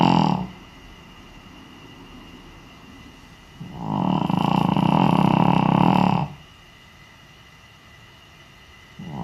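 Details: Naomi, a senior Shih Tzu, snores while asleep wearing an Elizabethan collar, captured with a noise-meter app: long, loud, rasping snores with a buzzy hum, each lasting about two seconds, separated by several seconds of quiet breathing.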